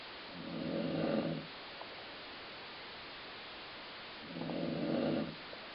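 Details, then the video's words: Dog asleep and snoring with a growling, gut-rumble quality: two drawn-out, low raspy breaths about four seconds apart, with faint room noise between them. "Colline Snoring"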